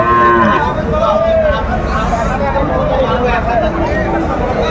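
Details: Cattle at a Faridpur market in Bangladesh selling Sahiwal bulls and calves give a couple of short, arching moos, with a high bellow at the start, all set against constant human chatter and haggling.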